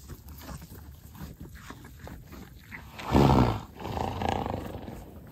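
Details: Horse at Singing Horse Ranch near Vernon, British Columbia, Canada, among a herd munching hay: one loud, breathy half-second snort, then a softer second exhale, over steady rhythmic crunching of chewed hay.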